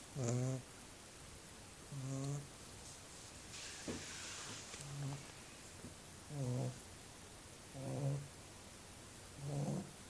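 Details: Little pet dog asleep, snoring steadily: six low, buzzy snores come about every two seconds, separated by quiet breathing and a brief soft hiss near the middle.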